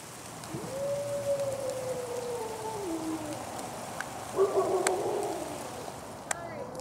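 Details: Wolf at the Colorado Wolf & Wildlife Center during a full moon feeding tour on November 17th 2013, giving a long smooth howl that holds steady, then slides lower. A second, shorter howl starts near the end, with faint background hiss.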